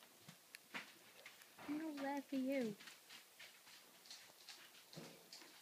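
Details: Bailey, a four-week-old yellow Labrador Retriever puppy that is teething, gives two short, wavering high whines indoors, with soft clicks and rustling around them.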